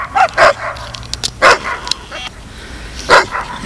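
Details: A male dog that is said to love singing barks at a cat up a tree: four short, sharp barks in two pairs, the pairs about a second apart, with softer echoing yelps after each.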